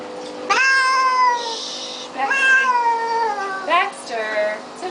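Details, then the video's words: During a flea bath, the house cat Baxter gives three loud, strained meows in a row, each rising sharply then sagging downward, separated by short pauses, with soft speech behind. "Cat Cries While Getting Flea Bath"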